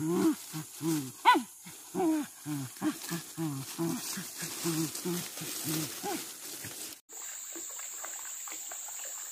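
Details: Pack of village dogs hunting monkeys, treated as crop pests raiding fruit gardens, in trees and along a riverbank: rapid, hoarse barks and yelps about three per second for seven seconds, then rushing water-like noise.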